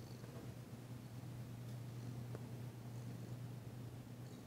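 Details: Steady low purring from Danci, a female cat enjoying massage work though still tentative, her first purr since arriving; continuous rumbling hum with an occasional faint click.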